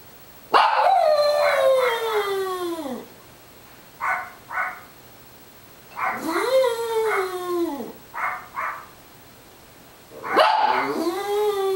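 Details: Small dog in boarding care on Long Island, New York, howling: three long drawn-out howls that slide downward, each followed by short paired yips, about three seconds per howl.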